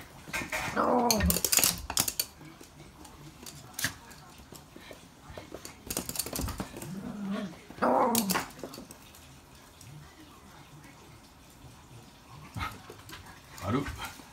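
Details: Toy Poodle indoors, one of two dogs playing with their own stuffed toys; low growls with sweeping whiny rises come in bursts near one, six to eight and thirteen seconds, with toy rustling and soft human talk.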